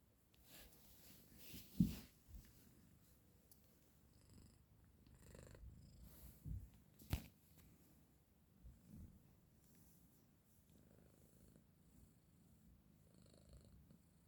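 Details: Domestic male cat woken from sleep by its owner, purring indoors: a soft, low continuous rumble with a few louder rustling bumps and handling noises around two and seven seconds.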